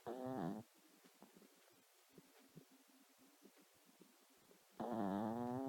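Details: Pet dog sleeping and dreaming: two loud, nasal, harmonic snores at the start and end, each under a second, with soft irregular breathing and quiet room noise between them.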